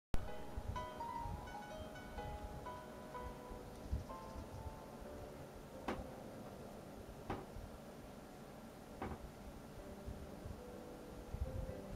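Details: Quiet instrumental music plays in a small room with a few sharp taps and knocks, and no animal voice is heard.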